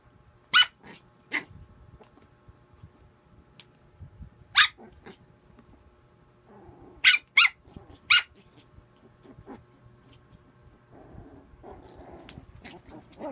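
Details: Playful puppy producing sharp, clipped yaps scattered over several seconds, including a tight cluster of three, separated by quiet gaps with faint rustling and brief low murmurs.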